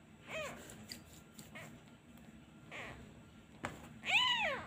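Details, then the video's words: Abandoned male kitten missing his mother, crying whenever a hand is taken away: a few faint, thin mews early on, then one louder, arched, high meow near the end, indoors with quiet background. "Abandon Kitten Part 2 He cries everytime I removed my hand. He really miss his mother."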